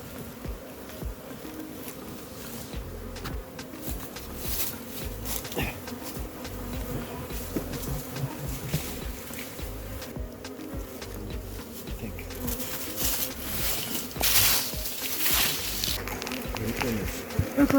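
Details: Honey bees from a massive hive being caught, humming while the barrel holding the combs is cut open; a steady low droning buzz with layered hum bands, interrupted by clattering and scraping handling noises, louder toward the end.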